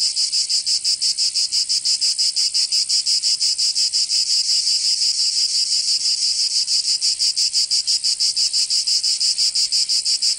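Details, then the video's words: Summer cicadas of Provence, southern France, producing an intense high-pitched buzzing song in quick regular pulses near three per second, constant and uninterrupted. "Canto Cigarra"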